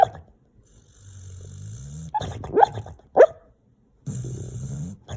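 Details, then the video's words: Guinness the dog asleep, giving low raspy snoring breaths broken by three short high whining squeaks in the middle, then another rough snore near the end. "Guinness sleeping, snoring, making funny noises"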